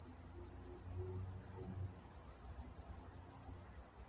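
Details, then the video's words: Crickets at night in Walnut, California, chirping in a fast, even pulse, roughly three beats a second, a bright high trill holding one pitch, with faint low murmurs underneath. "Nature Sounds Night Time Crickets in Walnut, California"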